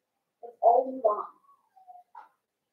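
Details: Newborn blenheim Cavalier King Charles Spaniel puppies, a litter of five born at New Year's, in an indoor puppy pen: a short burst of harmonic squealing whimpers, wavering and rising, followed by thin faint whines.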